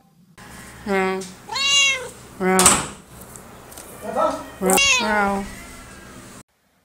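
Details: Siamese cat at the vet for an ultrasound, giving a run of about five loud, drawn-out meows, some rising then falling, spaced roughly a second apart; a woman's voice is heard briefly beforehand.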